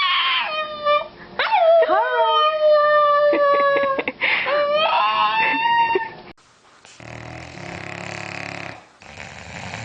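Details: Pet dog giving drawn-out howls that slide downward and then waver, with short yelping breaks between them, followed by several seconds of broad, rough noise.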